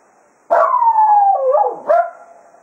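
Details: After a day of foxhunting at Quail Roost, a Jack Russell Terrier serenades the departing hounds with a sustained, slightly wavering howl, a brief dip, then a second rising howl that trails off.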